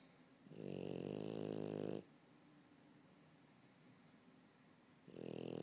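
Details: Indoor recording of a French Bulldog snoring while sleeping on a couch: a long, loud, rattling snore lasting about one and a half seconds, a quiet gap, then the next snore begins.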